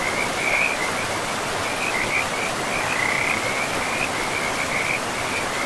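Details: Frogs in a pristine forest with a river, keeping up an unbroken, high, buzzy trill of rapid pulses that rises and falls slightly in loudness over a steady wash of flowing water.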